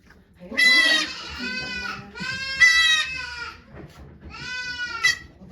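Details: Goat at Yoshigake Farm in Japan on 3 May 2023, as the nanny goat Okayu gives birth to two kids while volunteers watch; three loud, strained, wavering bleats, each about half a second to a second long, with quiet voices between them.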